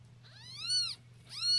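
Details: Newborn Siamese kittens, 0-3 days old, from a litter of four; they cry loudly so their mother can hear them from anywhere. Two thin, high, arching mews, each rising then falling, over a low steady hum.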